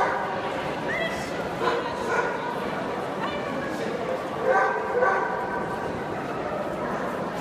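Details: Young male basset hounds giving thin, high whimpers and short yips that overlap continuously. Brief louder yelps break through near the middle and again past four seconds.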